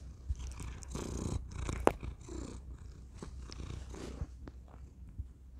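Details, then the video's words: Thor, a pet cat, purring close to a tiny microphone indoors: a steady low rumbling throb with soft breathy swells and a few small clicks and rustles. "Thor purring into tiny microphone"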